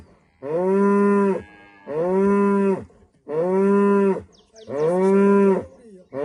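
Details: At sunrise in a Rwandan village, a female cow moos to greet the morning. Four rich, even lowing calls come in a regular rhythm, each lasting over a second, with brief quiet gaps between them.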